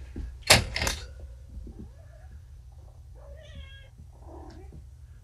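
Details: Groggy young kittens just back from neutering, on painkillers and hungry for food, indoors; after a loud thump at the start come a few short, rising-and-falling meows near the end, over a steady low hum.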